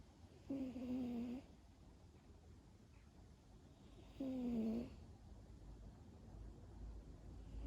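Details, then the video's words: Zappa, a cat of about 11 with ragged, battle-scarred ears, asleep on a lap in a garden, gives two drawn-out, slightly wavering tonal snores roughly four seconds apart, each under a second long, over a low steady background hum. "5mins Cat Sleeping video, with a little bit of 😴 snoring"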